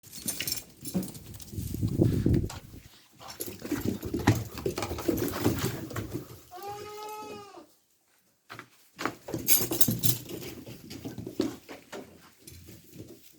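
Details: Goat giving a single wavering, nasal bleat lasting about one second midway, its tone trembling up and down, set among loud rustling, shuffling and thumping noises before and after.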